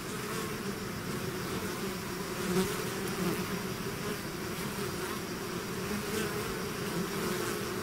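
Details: Honeybee-type swarm pouring out of its hive, a dense continuous drone with steady hum bands and brief louder passes of individual bees close by, no other sounds.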